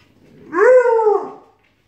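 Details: Short arched howl from a Siberian Husky or Alaskan Malamute puppy in a squabble that turns into howling, rising briefly then sliding down, smooth and tonal with clear overtones, lasting about one second.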